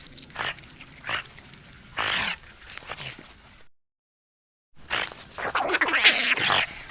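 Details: Eurasian otter calling: short bursts of harsh, noisy squeals and chirps, a few spaced calls in the first half, then after a brief silence a louder, denser run of high squeaky whistles.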